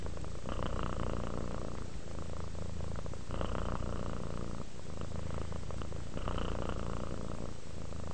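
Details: Purring domestic cat at rest, deep vibrating rumble rising and falling with each breath roughly every three seconds, close and steady throughout.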